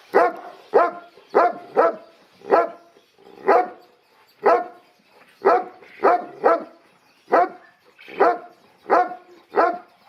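A Boerboel barks in a steady series of deep, chesty woofs, about one or two each second.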